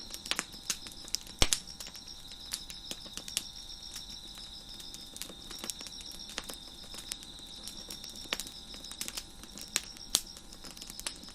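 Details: On a deck at night, a constant high cricket trill runs beneath frequent crackles and snaps from a fire, with one loud pop early on.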